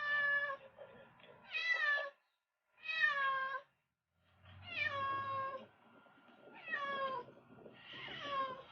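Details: Hong, a former street cat brought home after six years away, meowing repeatedly indoors: five drawn-out harmonic meows, some rising then falling, spaced about a second apart with short quiet gaps.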